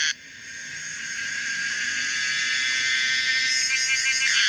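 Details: Pomponia linearis, a common cicada, giving a loud continuous buzzing drone with a metallic, wavering texture that builds steadily after a brief start and holds strong to the end.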